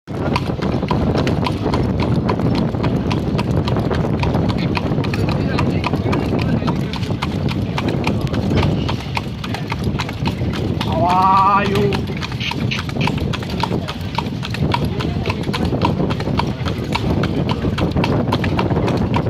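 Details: Steady clip-clop of a horse's hooves on a hard road during a night-time horse-cart ride, with a short voice partway through.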